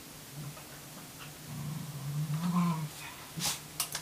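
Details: Tamaskan puppy named Wave, indoors, trying to establish dominance over a Norwegian Elkhound's food: a low rumbling growl builds and swells in the middle, followed by a few sharp clicks and taps near the end.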